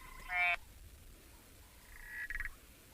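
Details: At a safari sighting on the evening of 15 April 2024, with rain starting to fall, Boettger's caco frogs give short, bright clicking calls, with one call notably louder than another.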